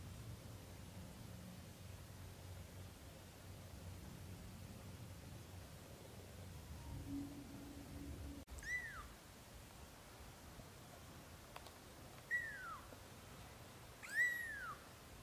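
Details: British shorthair kittens in their first month, heard after a quiet stretch with a soft hum: three short, high, falling mews spaced about two seconds apart, with a sharp click before them.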